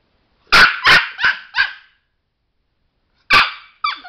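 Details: Sparky, a pet Chihuahua trained in tricks, barks while eager to push a button that makes a light come on: four quick, sharp, high-pitched yaps, then a pause of over a second before two more barks follow.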